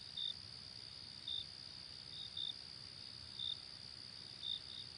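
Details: A cricket chirps at night, giving short sharp pulses about once a second above a continuous high-pitched insect drone.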